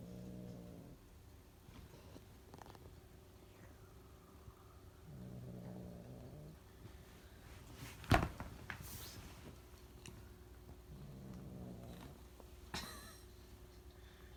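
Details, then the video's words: Angry cat inside a bag, provoked by a dog, gives three low, throaty harmonic growls of about a second each, spaced roughly five seconds apart, with bag rustling and a sharp knock between them. "Cat making noises in a bag"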